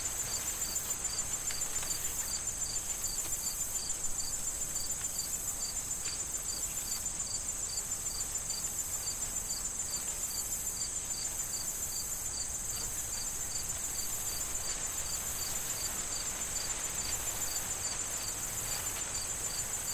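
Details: Crickets in a corn field in autumn before harvest, short chirps repeated steadily about three times a second over a constant high insect trill, with wind and rustling corn stalks beneath.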